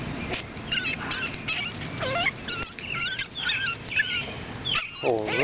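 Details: A litter of 7-week-old AKC Boston Terrier puppies, sired by Champion General Lee out of Bosarts Sparkle, squeals and whines in a dense chorus of thin, wavering, high-pitched cries, overlapping one another, with a lower voice briefly near the end.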